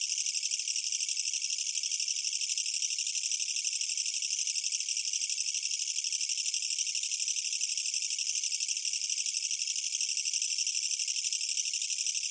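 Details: A Korean katydid, a bush cricket, gives a loud, unbroken, rattling buzz of rapid pulses, high and harsh.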